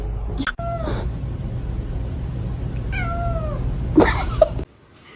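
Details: Two separate meows from a pet cat in a funny cats compilation. Each slides downward in pitch and is thin and plaintive, with a quiet gap between them. A steady low hum runs underneath, and a short thump comes near the end.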